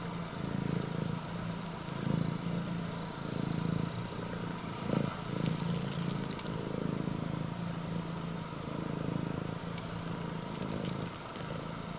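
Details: Pet Scottish Fold, a red tabby and white female with upright ears, greets her owner with a deep, motor-like purr. The continuous rumble pulses with each breath, about once a second, with a few soft clicks and handling noises.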